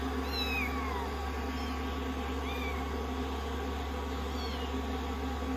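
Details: Rescued kittens, sixteen days into their growth record, fawning on a lap while being blow-dried after a shampoo; thin, high rising-falling kitten meows come in a quick cluster early, then one more, over the steady roar of a hair dryer.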